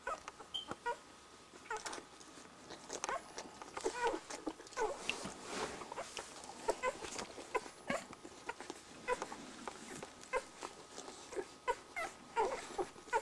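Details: Week-old Border Collie puppies drinking milk from their mother, with frequent thin squeaks and whines over a steady background of suckling, licking and rustling.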